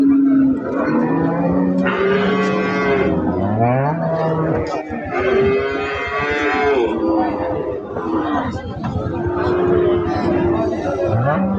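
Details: Holstein Friesian dairy cow, three and a half months pregnant and said to give 15 litres of milk, mooing repeatedly with long, deep, bending calls several seconds each, over steady background chatter.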